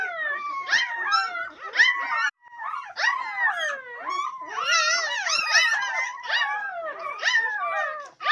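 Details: Swedish Elkhound (Jämthund) puppies from a litter of twelve, howling together in overlapping, wavering, rising and falling tones that slide up and down, with brief pauses between bursts.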